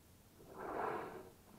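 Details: At Bahía de las Conchas, beside Bahía Magdalena in Baja California Sur, a whale rising near paddlers on a still sea gives a single soft, swelling whoosh of breath lasting under a second against quiet background water.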